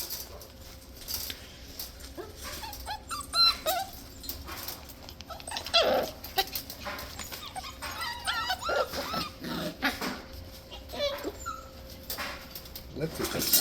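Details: Six-week-old Scottish Terrier puppies play wildly together, giving scattered short high whimpers and squeaky yips amid constant rustling and scuffling, with faint background music.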